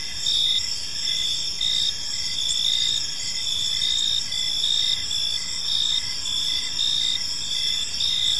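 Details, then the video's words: Crickets chirping on an evening in a peaceful park: short high pulsed chirps repeat a little under once per second over a dense, steady shrill insect hum, with no other clear sounds. "Cricket Sounds in a Peaceful Park"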